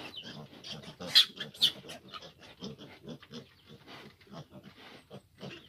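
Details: Amid a sow's difficult nursing of fifteen grown piglets, soft rhythmic grunts repeat about twice a second, punctuated by two loud, piercing squeals near the start.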